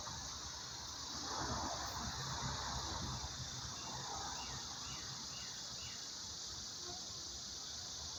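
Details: Cicadas, newly emerged from the ground in July, have started their summer singing: a steady, high, hissing drone carrying without a break throughout, expected to grow louder.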